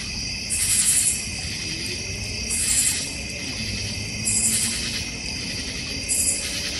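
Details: A North Georgia Mountains backyard with a koi and goldfish pond carries a constant high cricket trill. Louder rasping bursts return about every one and a half to two seconds above it, with soft low noise underneath.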